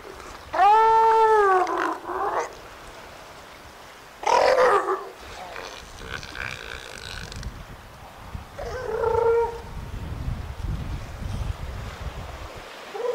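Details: Juvenile northern elephant seals hauled out at San Simeon, California, in Monterey Bay National Marine Sanctuary in spring, bathing in the shallows; loud harmonic moaning bellows, one arching wail then several shorter groaning calls over low rumbling background.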